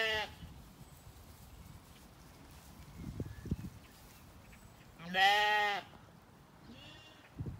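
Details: Zwartbles lambs in an orchard on a farm in County Kilkenny, Ireland, in the evening, settled after weaning; a loud harmonic bleat near five seconds, a fainter one later and a brief one at the start, over quiet background with small thuds.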